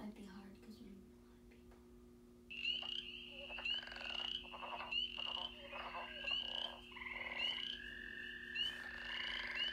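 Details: A spring frog chorus of high, overlapping trills and peeps with a steady low hum underneath; the season's chorus is described as later joined by northern leopard frog, American toad, gray tree frog, green frog and bullfrog.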